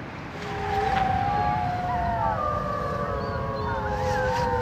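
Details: Wolves howling: long, smooth, drawn-out tones from more than one animal that overlap and slowly glide up and down, over steady rushing wind-like noise.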